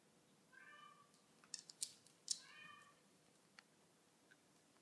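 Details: Bengal kitten playing indoors with a Border Collie, giving two short, clear, harmonic meows about two seconds apart, with soft knocks and scuffling from the play between them.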